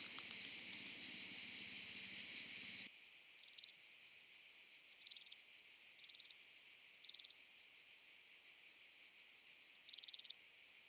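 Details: Oedaleus decorus on Cres, Croatia, recorded 27 July 2023 with an ultrasound detector: a dense, high, hissing buzz at first, then short bursts of sharp rapid clicks repeated irregularly, with silence between them.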